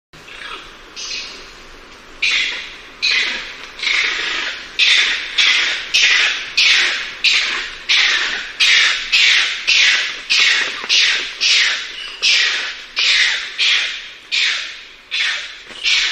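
A bonnet macaque gives harsh, rasping calls repeated more than once a second.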